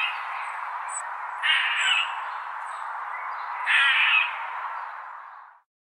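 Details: Squirrel giving a raspy, hoarse calling sound that runs throughout, with two louder harsh squawks about two seconds apart before it fades out.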